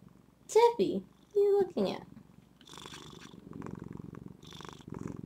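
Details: Female pet cat Zephy purring at home while a woman talks to her: loud spoken words fill the opening seconds, then a continuous low, finely pulsed rumbling purr carries on underneath quieter speech.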